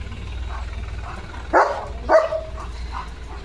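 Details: German Shepherd Leo reacting to a passing tractor outside his home, giving two sharp, strong barks roughly half a second apart over a steady low vehicle hum.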